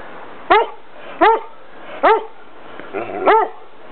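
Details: Two English Setters barking in a Bath garden one October morning in 2006: a run of four loud, sharp, harmonic barks spaced about three quarters of a second apart, the last doubled.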